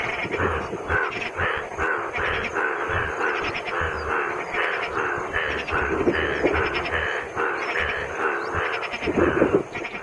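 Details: Indian bullfrogs (Hoplobatrachus tigerinus) with blue vocal sacs at Mahadev Pahadi, India, call in a dense chorus of loud, nasal croaks repeating rapidly and overlapping.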